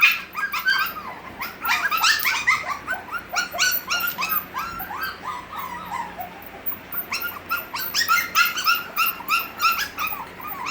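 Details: Several six-week-old Havanese puppies indoors, crying more than playing while someone sits with them: a dense, overlapping chorus of high, rapid whimpers and yelps, roughly three per second, with soft background music.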